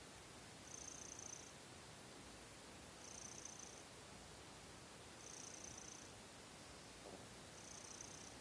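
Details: Seol-i, a young pet cat, purrs at night before sleep, settling its breath after kneading. Soft hissy purring swells come in short bursts about every two and a half seconds over a steady background hiss.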